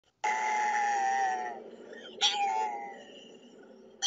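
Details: A puppy on the road gives a long, high, steady cry followed by a brief sharp yelp.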